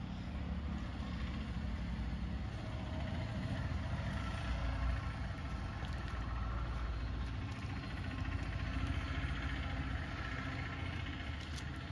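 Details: Steady low engine rumble of an idling vehicle outdoors, with no animal sound.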